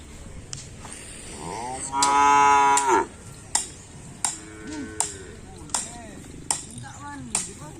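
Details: Cattle at a Kerapan Sapi bull race training session at Lap Asemanis, held on 6 November 2022 in preparation for the Griduh Onggu Kalajengking anniversary race. A loud, harmonic, one-second moo rises out of softer lowing, with sharp regular clicks following about every 0.7 seconds.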